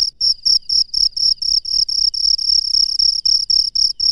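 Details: Cricket in the wild at night giving rapid high-pitched chirps, roughly four bursts per second, each a bright buzzy trill of equal length, repeated steadily over a quiet background.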